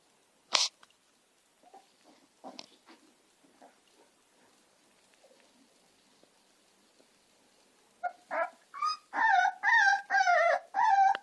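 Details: American Staffordshire terrier puppies Gina and Zeus: near-quiet scattered small clicks and squeaks for eight seconds, then a run of loud, high, whining yelps, each about half a second, repeated almost every second until the end.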